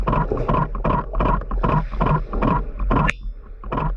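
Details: Huge adult male sperm whale clicking underwater, loud metallic bang-like clicks unlike the female's lighter ticking; broadband pulses repeat about every 0.4 seconds over a low rumble, with a camera shutter clatter near the end.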